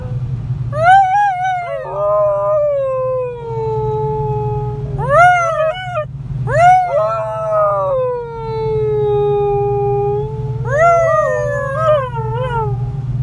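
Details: Hasya, a Siberian Husky aged one and a half, howls while riding in a car in Ekaterinburg, Russia, on 26 January 2018, joining people singing with the radio. Repeated long, falling, quavering howls with brief breaks sound over steady engine drone.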